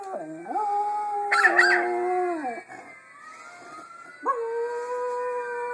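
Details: A Miniature Schnauzer howls in long, wavering tones that slide up and then fall away, responding to a howling Schnauzer in a YouTube video.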